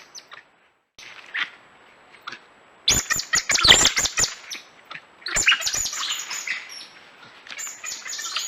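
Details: Coati calls: bursts of sharp high chirps and squeaks mixed with clicking, broadband snaps, densest in the middle and again toward the end, after quieter scattered peeps at the start.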